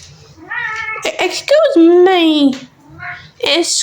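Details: Senior domestic cat, male and talkative, meowing indoors because he wants his food too early; long wavering harmonic meows, one drawn-out falling cry, with a woman talking to him in a small room.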